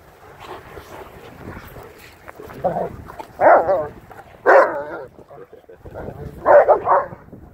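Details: Several dogs playing and running around a yard: an 8-month-old Lycan Shepherd and Renascence Bulldogge puppies with a Blue Bay Shepherd and German Shepherd. Short harsh barks and growly play noises come in bursts about once a second, with wind noise and speech between.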